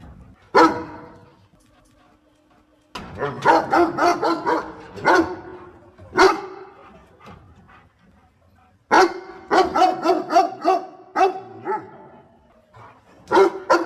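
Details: Dog helping its owner pick water spinach, barking in rapid runs of short, harsh yaps separated by quiet gaps of a second or two, some barks tight together in rattling series.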